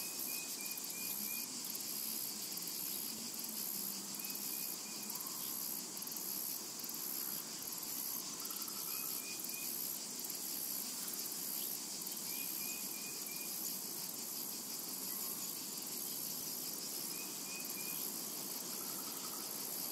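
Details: Cicadas drone without pause across a summer meadow, a sharp high sizzle, while a distant bird repeats short trilled chirps roughly every few seconds.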